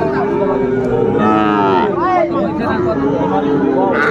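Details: Young Sahiwal bull calves being sold at a Dhaka market in Bangladesh, 11 February 2025; a sustained low moo runs through the first half, then wavering lows, while men talk and haggle nearby.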